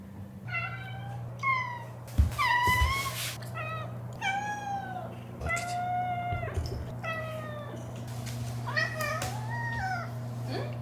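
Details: Pet cat indoors giving a long run of repeated meows, each a bent harmonic cry about once a second, with a low hum and a few knocks and brief human voice in the background.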